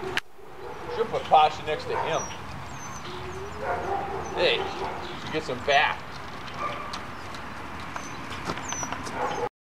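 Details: German Shepherd puppies in a playing litter letting out irregular yelps, whimpers and squeaky cries every few seconds amid rustling and people speaking in the background.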